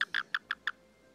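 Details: Betsy, a frog visiting a home, chirping while getting a belly rub: five short, sharp, bright chirps in quick succession within under a second, then quiet.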